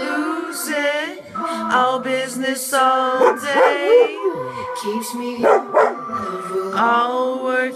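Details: Captain, a vizsla dog, howls along to Lorde's song "Still Sane", his favourite; wavering yips and short howls rise and fall over steady music.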